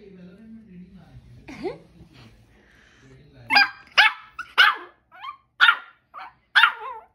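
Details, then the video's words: First barks of a two-month-old Shih Tzu puppy: after a low murmur of background voices, a series of short, sharp, high yips roughly every half second to one second, about six in all. "2 Months Shih Tzu Dog First Bark"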